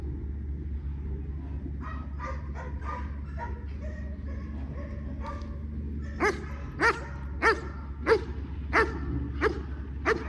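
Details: German Shepherd during basic obedience training, giving sharp single barks about every half second to second, preceded by softer yips and whines, over a constant low mechanical hum.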